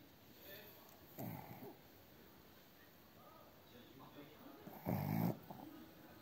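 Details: A Blenheim Cavalier King Charles Spaniel snores in low, rasping bursts, two deep breaths a few seconds apart.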